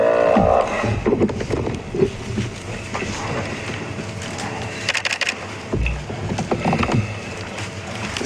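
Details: Music plays over a mix of low rumbling and scattered clattering noises. No clear animal voice stands out.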